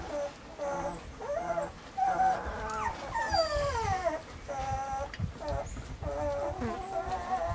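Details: Whining Weimaraner puppies, Bailey, Hailey and Jenny, recorded in summer; sliding high whimpers, a long downward-curving cry in the middle, then steady held whines and short yelps from several pups together.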